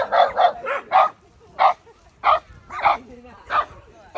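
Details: Shiba Inu facing a gorilla barks in quick pairs and singles, about one or two barks per second, sharp and mid-pitched with brief whines between.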